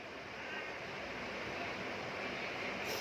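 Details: Steady broadband rushing noise, like surf or wind buffeting a microphone, fills the whole three seconds with no distinct calls or voices.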